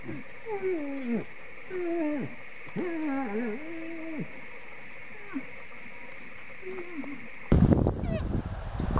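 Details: Moose. Moose mating calls: drawn-out, whiny moans that waver and fall in pitch, coming in quick succession. A steady background hum runs throughout, and a sudden loud rush of noise cuts in at the end.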